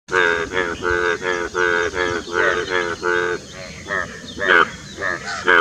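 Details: A male Indian bullfrog (Hoplobatrachus tigerinus), with two external subgular vocal sacs, gives a series of short, nasal, groaning croaks as its courtship mating call near Dombivali, Thane, Maharashtra, India, on 9 June 2018.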